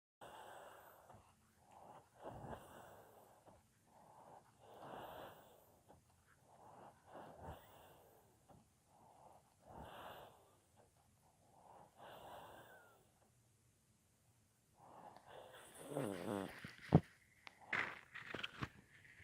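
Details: Sleeping pet dog, deeply asleep and snoring loudly: soft breathy snores return about every two and a half seconds, followed near the end by a louder, busier burst of mixed sounds.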